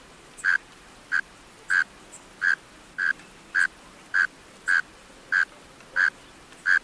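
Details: Mole cricket male singing from its burrow, giving low buzzy chirps at a fairly even rhythm of about three every two seconds, around eleven chirps in total, with no other clear sounds.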